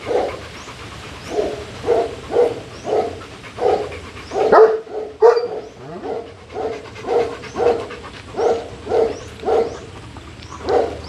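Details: Bullet, a Rottweiler, being introduced to a pack of Caucasian Ovcharka and Alabai dogs: steady rhythmic panting, short voiced breaths repeating roughly twice a second, with a brief louder scuffle midway.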